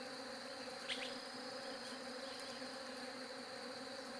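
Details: Steady bee buzz filling the whole recording as a flat, even hum, with one short click near the start and nothing else clear.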